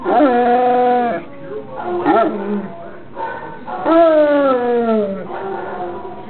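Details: Pet Basset Hound howling in response to a recording of other basset hounds: two long, mournful howls that slide downward in pitch, with a short break and quieter wavering sounds between them.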